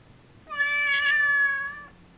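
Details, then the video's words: Vocal female Siamese cat answering her owner's questions indoors with a single loud, bright, sustained meow of about one and a half seconds, steady in pitch and strongly harmonic, the owner speaking before and after. "Talking Siamese Cat VERY talkative! She answers all my questions!"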